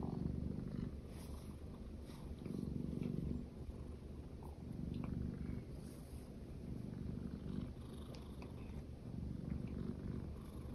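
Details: Steady low purr from a pet cat, one of two females, a silver tabby American Shorthair and a lilac British Shorthair; the rumble rises and falls in regular breathing cycles roughly every two to three seconds, with a quiet background.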